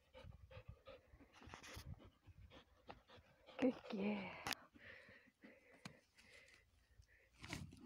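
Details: Panting from Lexa, a Belgian Malinois x German Shepherd mix, during a rabbit hunt. Quick breathy pants repeat about twice a second. A man's voice breaks in near the middle, with some rustling.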